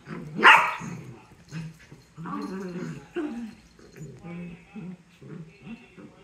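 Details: Dachshunds fighting each other in a mock war: one sharp, loud bark near the start, then a run of low, grumbling growls and short yaps that come and go, with some human voices mixed in.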